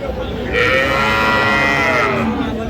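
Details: Sahiwal bull calf at a cattle market in Tangail, Bangladesh, on 30 December 2025: a sustained, tonal, rich-harmonic moo lasting about two seconds, held fairly level and fading at the end, over steady market crowd noise.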